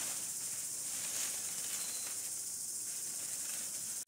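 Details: Cicadas in a desert camping setting, a dense, steady high-pitched hiss that holds without pause, cutting off abruptly just before the end, with no other clear sounds.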